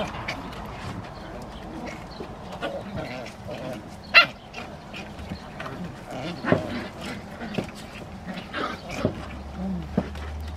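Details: San'in Shiba puppies of Yuzu, including the high-spirited eldest daughter, play-fighting in a basement; low rumbling growls run under scattered sharp yelps, scuffling and clicks, with a brief whine near the end.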